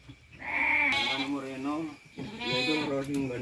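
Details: Lamb born at midnight bleating twice, each long quavering cry wavering up and down in pitch for about a second, separated by a short pause, over faint background hum.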